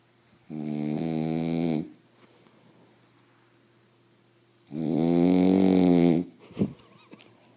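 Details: Sleeping French Bulldog snoring indoors: two long, buzzy, harmonic snores, each over a second long, about three seconds apart, with a brief snort at the end.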